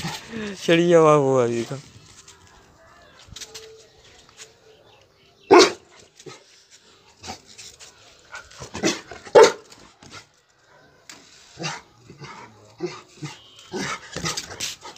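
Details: Rottweiler reacting angrily to Diwali firecrackers: a loud, harmonic, drawn-out bark near the start, then sharp broadband bangs and cracks with people talking in the background.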